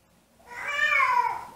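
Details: Siamese cat left home alone, howling as it misses its owner indoors; one drawn-out harmonic wail that swells and slowly falls in pitch over about a second, in a quiet small room.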